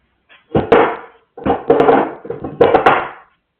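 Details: Dippie the dog giving three drawn-out, grumbling, harmonic vocal bursts in quick succession, each wavering and roughly half a second to a second long, with near silence around them.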